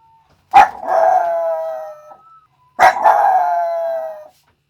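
A Yorkshire Terrier gives two drawn-out howls, each opening with a sharp yelp before holding a wavering tone.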